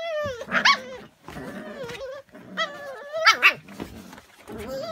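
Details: Lagotto Romagnolo, the Italian water dog, filmed at a breeder's in February 2017: wavering, nasal whines broken by two short, harsh yelping barks, with a faint growly undertone between the whines.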